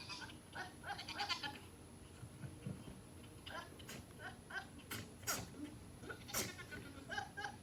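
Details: Two goats making funny noises while chasing and playing; short nasal bleats with stacked harmonics arrive in scattered bursts, rather faint, mixed with sharp clicks and knocks near the middle and end.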